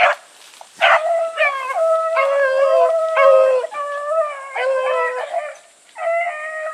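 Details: Bluetick Coonhounds running together with Sassy, giving a series of long, drawn-out, mournful bays with strong harmonics, some held steady for over a second, overlapping one another in quick succession.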